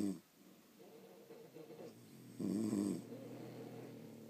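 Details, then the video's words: Snoring from sleeping pet French Bulldogs: soft buzzy breathing, then one louder wavering snore lasting about half a second, followed by a quieter drawn-out exhale. "Snoring French Bulldogs"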